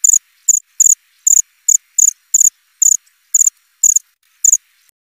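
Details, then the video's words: Shrill cricket chirps, each a tight cluster of rapid pulses, sounding about twice per second in a clean, quiet recording. "Suara jangkrik krik.. krik.."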